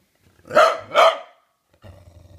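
An English Bulldog gives two gruff, throaty barks, then a low rumbling growl, performed on command.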